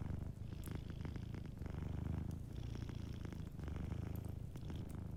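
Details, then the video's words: Close, strong purr of a sleeping cat near a fireplace, a thick low buzzing rumble pulsing in even breaths of about one and a half seconds, faint crackling in the background. "Warm Fireplace Ambience with a Sleeping Cat 🐱💤Fireplace & Soft Purring"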